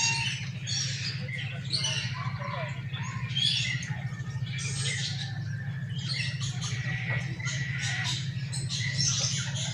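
A siamang gives harsh, squawking barks and shrieks in quick bursts over a steady low hum.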